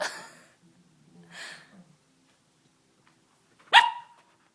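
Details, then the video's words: Hiccups from Bhalu, a Samoyed pup of 11 weeks: soft breathy puffs early on, then a quiet stretch, then a single sharp hiccup with a short squeaky, falling tone. "Samoyed Puppy Has Hiccups!"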